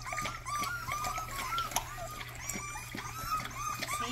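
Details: Rottweiler puppy trying out its first barks indoors: a run of short, high, arched yips, about three a second, thin and squeaky rather than deep, with faint background noise.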